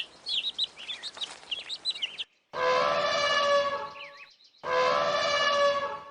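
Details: After a burst of twittering small birds, a cow gives two long, steady, fairly high moos about two seconds apart.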